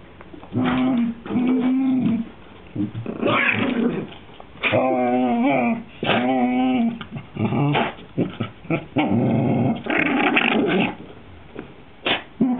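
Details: Maisey, a whippet eager to play and almost begging her sister Poppy, growls in long rumbling bouts, some steady and some wavering into whiny, harmonic moans, separated by brief pauses, with occasional snorts.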